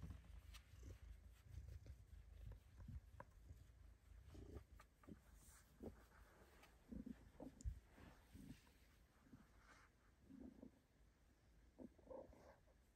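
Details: Bengal cat purring in a soft, steady low rumble while getting belly rubs in her favourite tight hiding spot, with light rustling over it.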